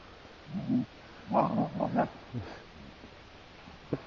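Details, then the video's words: Two pet Siberian Huskies in a rough playful tussle on the heath: a burst of short, throaty growls and grunts in quick succession, then quieter huffs and a soft final snort. "Our Siberian Husky gang : Laika is pulled into a little playfull fight by Tikka"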